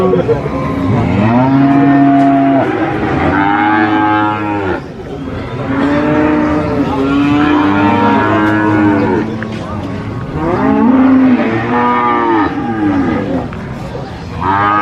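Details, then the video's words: Big sacrificial cows at a market, repeated deep moos, each a few seconds long with rising-then-falling harmonic arches, separated by brief pauses, with background chatter. "SUARA SAPI COW SOUND EFFECT MOOOOO"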